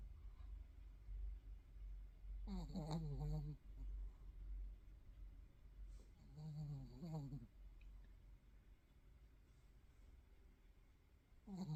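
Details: Sleeping thirteen-year-old pet dog, slightly restless, snoring; two clear snorting, harmonic bursts with quavering pitch about four seconds apart, a third starting at the end, over a low steady rumble.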